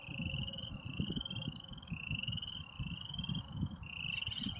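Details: Frogs sing for females after rain on a spring evening in Airdrie, Alberta, with red-winged blackbirds: a dense chorus of overlapping rising trills, each about a second long, over a low rumble of wind or distant traffic.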